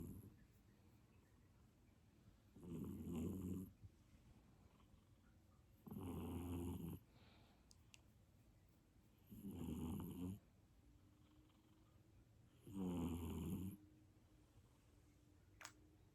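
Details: A golden shaded British Shorthair cat snores deeply, like a man, with loud rumbling breaths about every three seconds.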